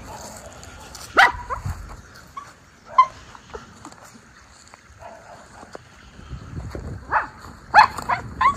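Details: Two Miniature Schnauzer brothers running, jumping and sniffing unleashed outdoors in Aroostook County, Maine, spring, April 18, 2024; short, sharp barks and yips burst out irregularly, a few seconds apart, clustering toward the end, with light footsteps and rustling between.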